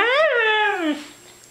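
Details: Siberian husky named Mishka, a female pet indoors, "talking" in reply to repeated "I love you": a loud tonal howl rising then sliding down over about a second, rich in harmonics, with a quiet room afterwards.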